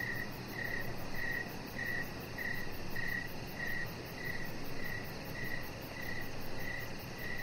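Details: Crickets heard from a deck in the evening repeat thin, high chirps at an even pace, around one every 0.6 seconds, the later ones fading slightly, over quiet low background noise.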